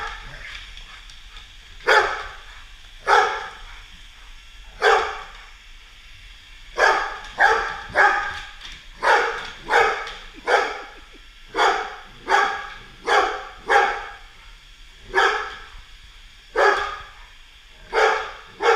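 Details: Golden Retriever determined to show a Roomba vacuum who is boss, barking repeatedly; sharp barks start sparse, then come in quick irregular strings, with a constant low whir of the machine behind.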